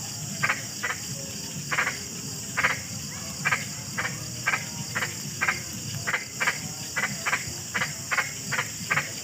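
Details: Frog croaking: short, dry, clicking croaks in irregular bursts, roughly one or two per second, over a constant high, hissing insect-like drone and a low background rumble.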